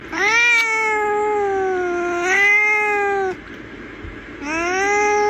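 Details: Domestic cat giving long, drawn-out, wailing meows, the first two running into each other over about three seconds, then a pause and a third rising meow; a faint human voice in the background.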